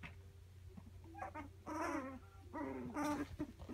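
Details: Three-week-old Labradoodle puppies indoors give short, thin whimpering whines with a bright, wavering tone. The whines come in brief bursts, and a steady low hum sits underneath.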